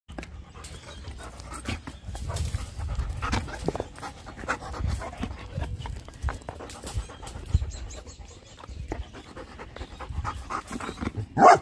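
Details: Bernese Mountain Dog panting: soft, rapid breathy puffs repeated steadily through the clip, with low rumbling handling noise and a sharp louder burst at the very end.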